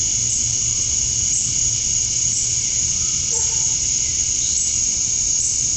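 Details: Summer dusk chorus of male cicadas in Georgia, USA, calling to attract females: a steady, piercing high hiss without pauses, with a brief faint mid-pitched note near the middle.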